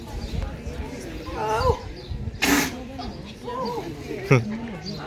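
Seals give voice-like moaning calls that rise and fall, broken by a sharp snorting burst.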